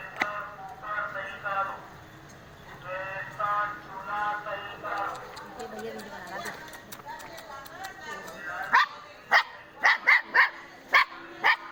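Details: Indian pariah dog puppy: after several seconds of muffled human voices, a run of sharp, short, high yips comes in bursts, roughly six in the last three seconds.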